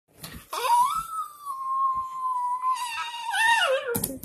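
A dog gives one long, drawn-out whining moan that rises, holds steady, then falls away.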